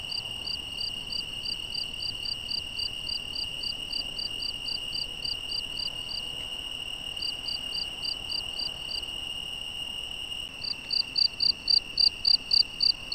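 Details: Nocturnal crickets in the Algarve, Portugal: rows of high, sharp chirps at about four per second, pausing briefly, then a louder nearer caller joining near the end over a steady shrill drone.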